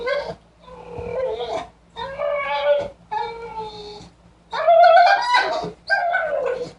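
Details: Sugar, a pet dog, making mysterious warbling sounds of excitement indoors: a run of wavering, whiny tonal phrases with breaks between them, rising and falling in pitch, the last bursts louder and higher.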